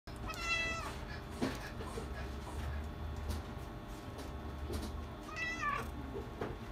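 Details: Persian kitten, a male chinchilla silver born in July 2020, gives two harmonic meows, one near the start and one near the end, against a low steady hum and scattered clicks.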